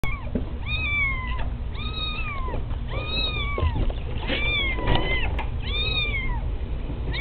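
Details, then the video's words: Kittens being very loud, giving a steady series of arched, wavering meows, about seven in a row roughly one per second, each rising then falling, over a low constant rumble. "loudest kittens ever"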